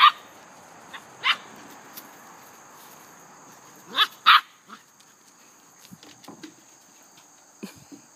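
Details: Playful English Setter with a little, energetic Dogo Argentino: a few scattered sharp barks, a close double bark near the middle, then softer low grunts and scuffling, over a constant high-pitched hum.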